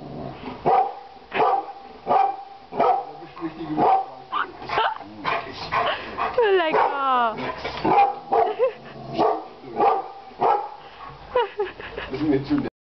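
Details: Female dog at Schwerin Zoo, Germany, refusing to walk past a plastic rhinoceros. She gives sharp, rapid barks, roughly one every half second for the whole stretch, with a few higher yelping whines mixed in midway.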